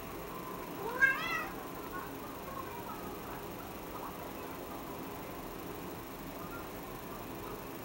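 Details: Cat that has spotted a small flying insect on the ceiling gives a single short, bright meow rising and dropping in pitch, followed by several seconds of quiet room hiss.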